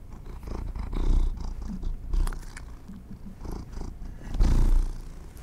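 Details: Pet cats indoors being given treats: a deep rumbling purr swells and fades in several loud pulses, mixed with soft crunchy chewing clicks.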